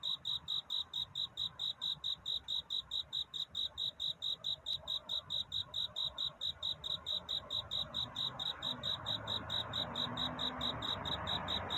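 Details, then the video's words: Cricket singing at night, a courtship song seeking a mate: high, pure chirps repeated steadily about twice a second in a regular pulse, with a soft low background hiss that swells toward the end. "귀뚜라미 울음소리. 슬퍼 말아요 우는 것이 아니라 사랑을 찾는 노래랍니다 구애의 밤"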